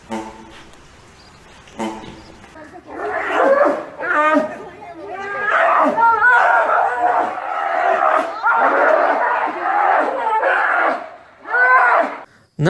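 Sloth bear giving a long run of harsh, squealing roars and growls that rise and fall.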